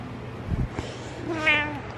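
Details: Pet cat lying on a yoga mat, with a brief rising-falling meow near the end after some rustling, and a quiet room hum beneath.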